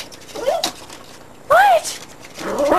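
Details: Terry, a female dog barking at nothing but a tree, gives a short faint yip, then a sharper arched yelp, then another rising whine-yip over a person's urging voice.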